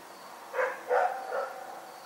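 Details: Night barking from Rex the dog, three barks in quick succession, the second loudest, each fading into a soft tail against a still, quiet background.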